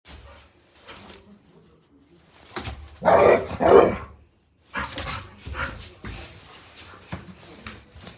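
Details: Labrador Retriever named Penguin playing after dinner indoors in a small room: two loud, rough barks in close succession near the middle, between softer scattered household noises and faint voices.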